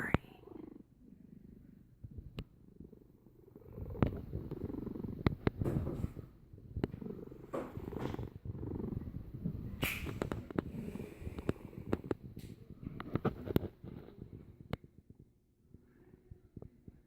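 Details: Domestic cat asleep and snoring, a steady low rumbling drone that swells and fades with each breath, broken by small clicks and soft rustling.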